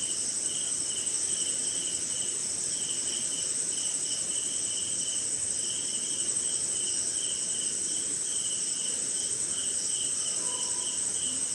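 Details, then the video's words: Crickets and other insects in a jungle in India during night rain, a constant shrill trill layered with quick pulsed chirp runs; near the end a brief clear lower tone sounds once amid the steady rainfall. "Sleeping Night in Jungle - Cricket & Swamp! Forest Sound"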